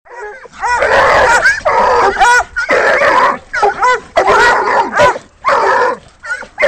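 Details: Three Walker coonhounds treeing a raccoon held in a rolling cage; loud overlapping bawling bays with wavering, rising-falling tones, in bursts about every second with brief gaps.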